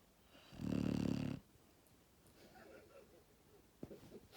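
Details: Sleeping Labrador Retriever puppy Max, born 1 October 2019, lets out one loud, low, rattling snore near the start, followed by soft breathing and a faint click indoors.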